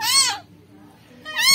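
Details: A rescued kitten, discarded as a newborn and found maggot-infested at a trash site, gives two shrill, harmonic-rich meows, the first arching and sliding down, the second starting after a short silence.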